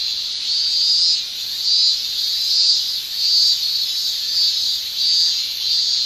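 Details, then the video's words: Male cicadas shrilling in a Japanese summer, sound made by tymbals; a dense, high, hissing drone that swells and fades in waves about every second, with no other sounds standing out. "Japan Summer Cicada Shrilling"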